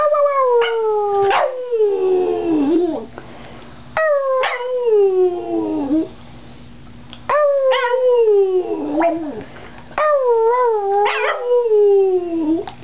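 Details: Boston Terrier howling or 'singing' at home when prompted by its owner; four drawn-out wavering howls, each starting near a high pitch and sliding downward over about two to three seconds, separated by brief pauses.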